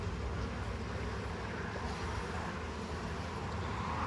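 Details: Steady low rumble like a distant engine or vehicle, continuous broadband noise with no animal voices.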